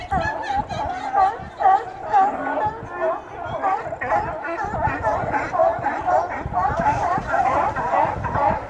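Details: Sea lions gathered at Astoria, Oregon, seen close up and recorded on a Note 4 phone: a dense, continuous chorus of overlapping hoarse, honking barks, many animals calling at once with no pause.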